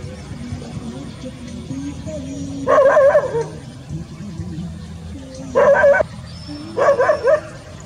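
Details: Rural village dogs playing among green rice fields; three separated bursts of barking, each a cluster of quick harsh barks spaced a few seconds apart, with a steady low droning background.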